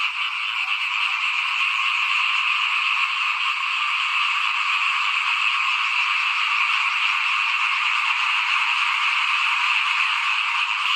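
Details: Chorus of frogs outside a house at rice-sowing time in 2021, before planting; countless callers blend into a thick, even, rapidly pulsing croaking wall that never pauses.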